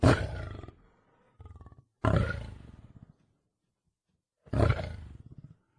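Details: Wild lion roaring: three powerful rough roars, each starting loud and trailing off, separated by short throaty grunting pulses.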